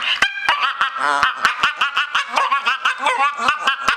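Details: Staffordshire Bull Terrier making weird noises: a loud, continuous, warbling grumble that rises and falls in waves, broken by sharp clicking pulses roughly every quarter second. The rhythm sounds almost laugh-like throughout.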